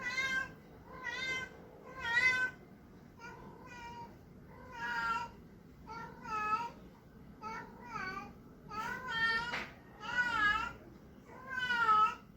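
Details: A male Persian cat trying to find a mate calls over and over with strange, nasal, wavering meows, each about a second long, some bending in pitch, with brief quiet gaps in a still room.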